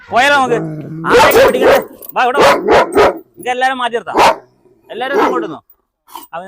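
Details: German Shepherd in Perumbavoor, Kerala, provoked to bite in a dog challenge after being unleashed at a house. Rough, harsh barks come in quick clusters, mixed closely with excited human voices.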